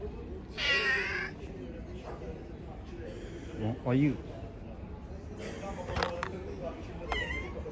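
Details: Stray cats and kittens living on the street, fed by hand; one loud, long harmonic meow opens, followed by a short rising mew and a few brief chirping calls, with constant low hum behind.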